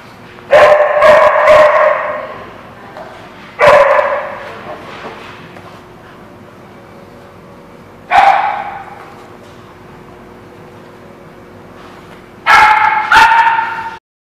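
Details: Dog barking at a place called the Barking Lot, recorded 16 June 2017: four loud bursts of harsh barks, some in quick doubles, spaced about three to four seconds apart with quiet gaps between.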